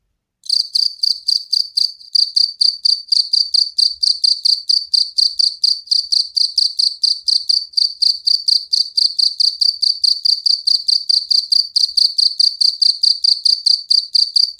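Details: Loud cricket calling at night, a steady, unbroken train of quick, high, pulsed chirps that keeps going after a short silent start, with no other sounds.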